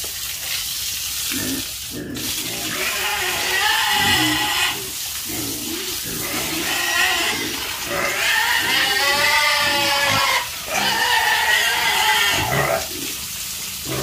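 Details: Several farm pigs squeal in drawn-out, rising and falling cries, with a brief gap near two seconds, mixed with grunts and a continuous rush of water.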